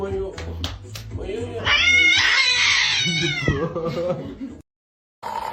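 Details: Domestic cat giving one long, loud, drawn-out yowl that wavers in pitch for about a second and a half, with people talking and laughing before and after it.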